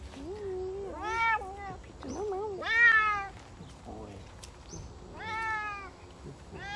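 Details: A Savannah cat meows repeatedly on a summer walk. Several wavering, up-and-down calls overlap with lower, shorter vocal sounds, ending in a bright, slightly falling meow near the close.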